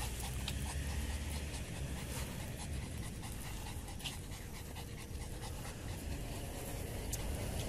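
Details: Yorkshire Terrier riding on a bus, panting in quick, breathy, irregular puffs over a constant low engine rumble and road noise.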